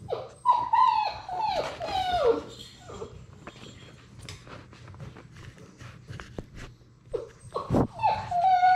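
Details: Playing Labrador Retriever puppies, six weeks old, from a litter of six: high whining whimpers sliding up and down, clustered at the start and again at the end, with a sharp knock and scuffling noises in between.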